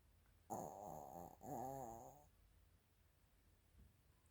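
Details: Female Maltese-Shih Tzu cross Chiroru, born July 2017 to a Maltese sire and Shih Tzu dam, asleep indoors on 24 December 2024, giving two drawn-out buzzing snores back to back, each rising and falling in pitch, then quiet breathing.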